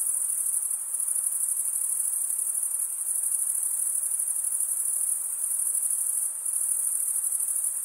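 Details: Stridulating male crickets keep up a dense, high, buzzing trill. Short dips in loudness come near the start and again toward the end. No other animals or noises stand out.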